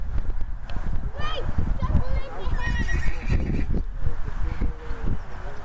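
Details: A cremello Welsh section D stallion, two years old, lets out short, shaky whinnies: a brief squeal, then a longer wavering neigh. People talk nearby and hooves clop on hard ground throughout.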